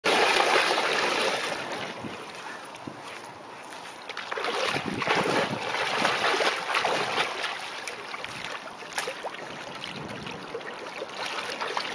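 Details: Strong wind buffets the microphone over splashing water, with irregular gusts and sloshing; no barks or other animal sounds are heard.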